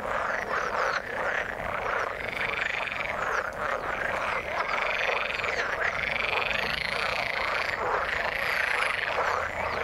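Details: A loud frog chorus in the water: rapid pulsing croaks overlap without pause, with brighter, rising trilled notes repeating every second or two above the mass.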